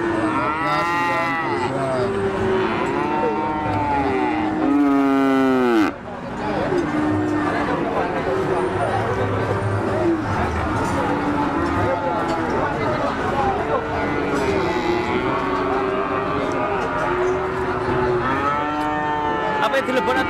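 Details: Crowded cattle market where an eight-month-old Limousin is for sale; several loud, wavering moos rise and fall in the first seconds, one abruptly cut off, then more lowing continues amid chatter and bustle, ending with another strong moo.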